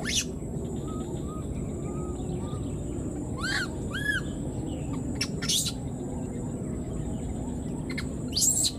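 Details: Wild newborn baby monkey, left behind, keeps calling for its mother: two arched, harmonic-rich cries rising then falling mid-clip, among faint scattered chirps and sharp clicks over a steady low background rumble.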